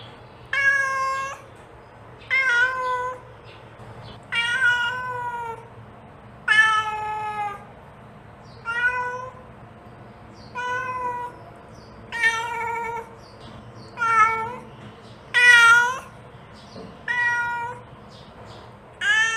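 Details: Mother cat calling her kittens, giving a long series of harmonic meows about every two seconds, some rising then falling, some short and clipped, over a quiet low hum.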